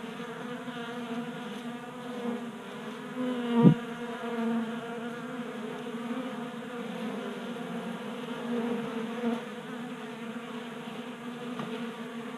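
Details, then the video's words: Swarm of honey bees feeding from a 3D printed feeder on a workbench in a Colorado garage in January; dense humming buzz, one bee passing close with a sharp rising-falling whine just before four seconds. "Honey Bees Feasting from 3D Printed Bee Feeder"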